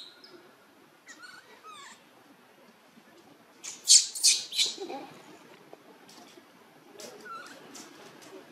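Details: Newborn monkey Luno, living around a temple in Cambodia, cries to call its mother: thin wavering high cries, then a burst of three loud harsh squeals midway, and one more short cry near the end over quiet background hiss.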